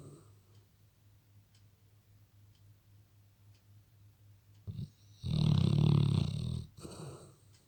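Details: Labrador asleep and snoring; quiet low breathing, then one loud, long, rumbling snore of about one and a half seconds, fading back to soft breaths over a constant background hiss.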